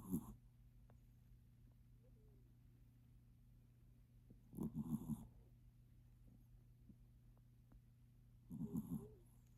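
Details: Maltipoo dog snoring in its sleep, with short low rasping snores at the start, near five seconds and near nine seconds, separated by quiet stretches over a constant low electrical hum.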